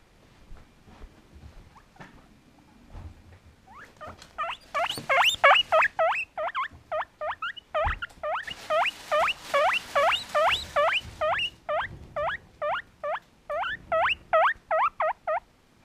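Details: A hungry, friendly, happy pet guinea pig wheeking loudly for food: a fast series of over twenty sharp, squeaky, rising-then-falling whistles, about two or three per second, with soft rustling.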